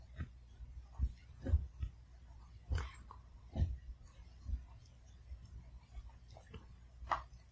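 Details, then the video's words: Pomeranian puppy eating kibble one piece at a time in a quiet room, chewing each bite thoroughly; soft crunchy chewing clicks come in irregular bursts roughly every half second to second over a low indoor hum. "특이하게 밥 먹는 강아지의 소소한 ASMR"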